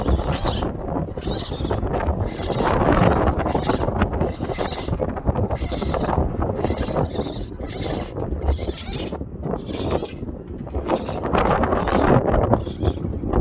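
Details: Baby raccoons removed from an attic and placed in a heated box chitter and whine in quick, overlapping bursts amid scratchy rustling, kit calls for their mother.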